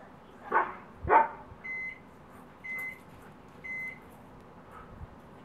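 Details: A Siberian Husky playing with a neighbouring dog through a fence. Two quick, rough barks open, followed by three steady electronic beeps spaced about a second apart.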